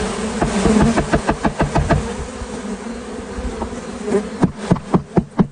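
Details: A honey bee swarm is caught in California. The low, continuous buzzing of many bees runs beneath a loud series of rapid knocks or taps, first about four per second, then again near the end.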